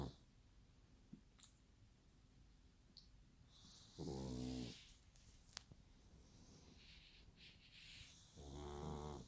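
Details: Pug snoring like a human, two deep rattling snores about four seconds apart, separated by softer hissing breaths and faint small clicks.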